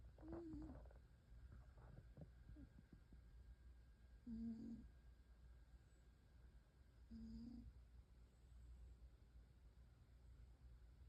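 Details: Benji, a pet cat, snoring loudly while asleep: short low buzzy snores recur roughly every three seconds against a quiet, steady indoor hum.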